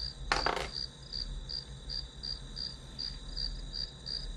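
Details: High, evenly spaced grass insect chirps, roughly two to three per second, over a steady shrill tone; a short metallic clink sounds near the start, with a low hum beneath.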